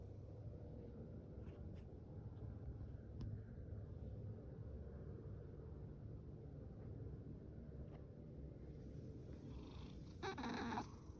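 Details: Fasu, an orange tabby male cat born October 2019 and adopted from a rescue shelter, purrs loudly as a steady low rumble; a brief rustling noise near the end.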